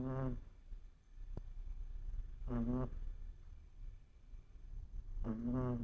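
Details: Shih Tzu puppy asleep indoors, snoring: three short, humming, nasal snores with a low buzzy tone, one roughly every two and a half to three seconds, with soft breathing noise between them in a quiet room.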